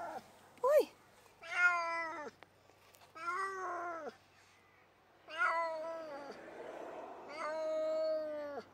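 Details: A male Tonkinese cat whines in long, drawn-out meows that rise then sag in pitch, complaining in the car on a ten-minute trip to the vet for his annual jabs.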